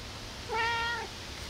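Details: A cat asking for food early in the morning, around 5 a.m., gives a single clear, drawn-out meow, slightly rising then falling, with rich harmonics over a quiet indoor background.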